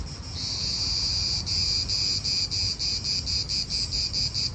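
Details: Cicadas in an Italian park start a loud, shrill buzz that breaks into steady rhythmic pulses, several per second, over faint low wind.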